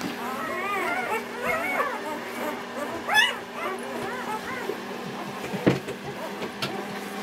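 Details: Four-day-old Newfoundland puppies, born November 2010, whimper and squeal together: high, thin whines that arch up and down, overlapping almost continuously, with one louder yelp mid-way and a steady low hum behind.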